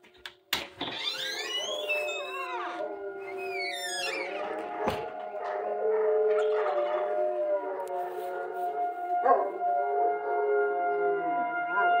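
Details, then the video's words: Several Central Asian Shepherd Dogs howl together in response to sirens, overlapping drawn-out wavering howls that slide up and down, layered over a steady sustained siren-like tone, with music playing beneath. "central Asian shepherds howling"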